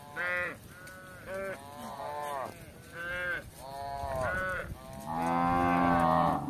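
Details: Village cattle wandering in search of grass give repeated short moos, rich in harmonics, followed by a longer drawn-out low at the end, against a steady background hiss.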